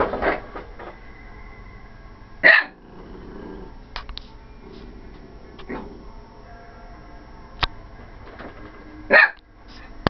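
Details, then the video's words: A female corgi, upset about the vacuum cleaner, gives two sharp, separate barks several seconds apart indoors. "Corgi Barking"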